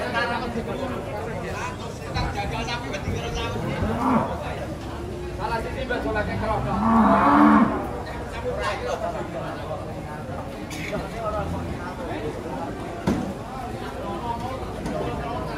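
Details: Agitated cattle coming down off a truck: one brief, low moo rises out of a busy background of shouting people, crowd chatter and background music.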